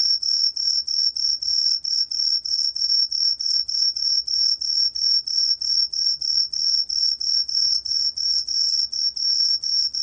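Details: Green pine cricket (청솔귀뚜라미) song: an unbroken, shrill whistled tone throbbing in regular rapid pulses, roughly three per second, with a soft low background rumble.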